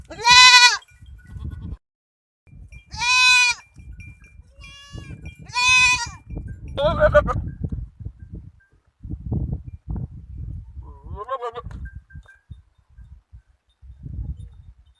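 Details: Goat kids and a large Kamori goat on a goat farm: three loud, high, harmonic bleats about every two and a half seconds, then shorter quavering bleats, over low rumbling background noise.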